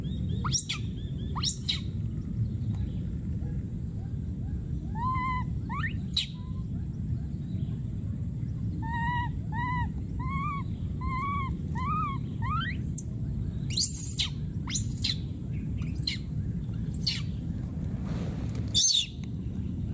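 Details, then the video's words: A young wild monkey repeatedly screaming and calling for its companion. Clusters of short, arched, wavering cries alternate with abrupt piercing shrieks that shoot upward, over constant low-pitched background rumble. "this p.o.o.r wild monkey baby keeps s.c.r.e.a.m.i.n.g and calling for his friend"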